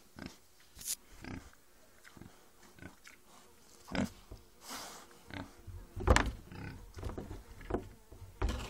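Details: Pig giving short, low grunts and snorts in irregular bursts, some sharper and noisier, with quiet gaps between them in an indoor-sounding space.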